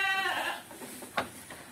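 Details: Domestic goat on a farm during the rainy season, when silage feed is given because grass cannot be cut; one nasal, harmonic bleat lasting about half a second, followed by a sharp knock and soft handling noises.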